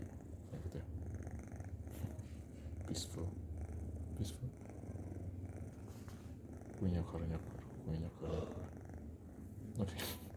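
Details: Sleeping orange kitten on a lap purring and snoring: continuous low rumbling purr under a person speaking softly in Indonesian and English, with occasional rustling.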